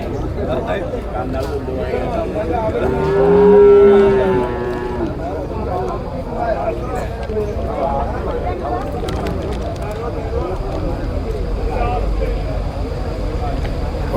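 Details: Buffalo calves and cows at Manjeri market. One rising, then level moo lasts about a second and a half, set against constant crowd chatter and background noise at the market.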